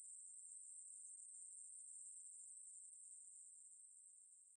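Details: Conehead katydid. A conehead katydid produces an unbroken, very high, hissing buzz that holds at one pitch throughout. The drone stays even and only fades slightly toward the end, with no other sounds behind it.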